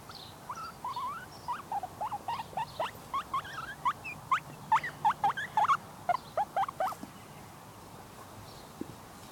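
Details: Two baby guinea pigs, female, outdoors on a table on a sunny day, squeaking: a rapid series of short, high, upward-sliding squeaks, roughly two per second, steady for several seconds over faint background hiss.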